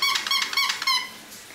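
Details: Female Russian Toy Terrier puppy, 11 weeks old, indoors, gives high, thin whimpering yelps in quick pulses for about a second, each with a slight wavering pitch, then trails off into quiet.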